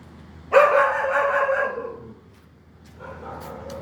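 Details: A dog gives one drawn-out tonal whine lasting about one and a half seconds, slowly falling and fading. A shorter, quieter whine follows after a brief pause, over a faint background hum.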